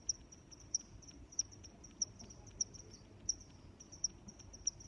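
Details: Crickets chirping: crisp, high pulses about two-thirds of a second apart, with weaker chirps in between and a quiet rumbling backdrop.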